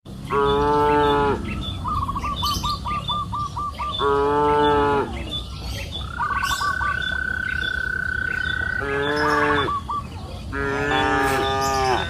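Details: Cows grazing on a green pasture hill in the afternoon give loud, drawn-out, rich-toned moos, with a small bird trilling between them.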